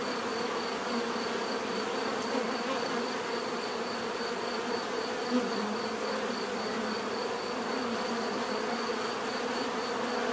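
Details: Steady chorus of buzzing bees, a continuous even drone of overlapping wingbeats, with one brief soft tap near the middle and a faint high tone running throughout.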